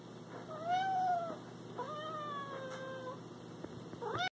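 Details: Cat calling to its prey with two long, drawn-out meows that rise then slowly fall, each lasting about a second, followed by the start of a third, over a faint steady hum.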